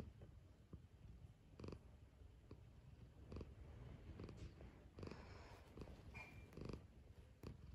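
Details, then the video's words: Pet cat waking up for breakfast, purring in a quiet room; low continuous rumble with irregular louder pulses about every second, plus a few faint higher squeaky sounds near the end. "Relaxing Cosy Purring Cat Waking Up For Breakfast"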